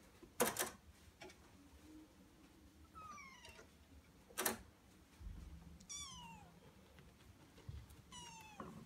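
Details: Male Norwegian Forest Cat named Maria giving three drawn-out, falling meows about every two and a half seconds, with two sharp knocking clicks between them against quiet background hiss.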